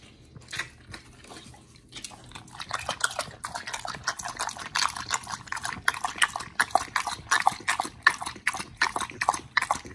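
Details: Oli and Nomy, two dogs fed raw meat as a wolf-like diet, crunch steadily at close range: rapid rhythmic bites, roughly one every three-quarters of a second, growing louder and crisper after a quieter start.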